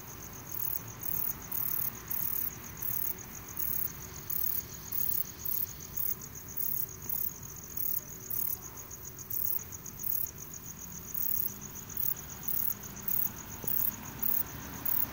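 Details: Requena verticalis katydid calling: very high, thin buzzy chirps repeated about four times a second in a steady, slightly uneven rhythm over a low rumbling background.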